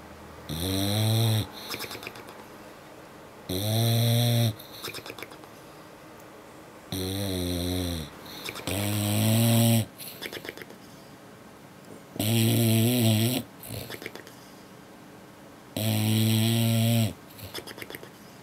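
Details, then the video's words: Lip snoring from a sleeping English Bulldog, Apollo, worn out from the beach; six strong rasping inhalation snores roughly every three seconds, each answered by a fluttering, sputtering exhale through the lips. "English Bulldog Lip Snoring"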